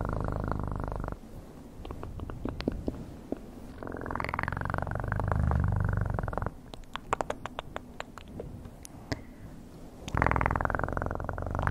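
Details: Close cat purr with a rhythmic low throb, fading to a softer rumble midway while crisp clicking sounds pile up, then a loud purring bout returns near the end.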